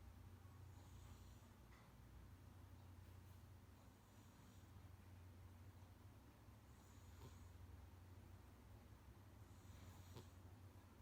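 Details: Munchkin cat Kuu snoring loudly like an old man, loud enough to sometimes wake its owner: a steady low rumble broken by soft airy inhalations roughly every three seconds.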